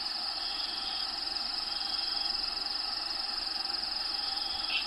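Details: Crickets inside a bearded dragon vivarium housing a bearded dragon named Diego, with natural habitat sounds playing in the background: a steady, shrill, high-pitched trilling that pulses rapidly without pause. A brief brighter chirp comes near the end.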